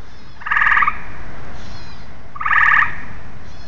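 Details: Two bright, rattling tree frog croaks, each a quick half-second burst of pulses, about two seconds apart against a faint low rumble.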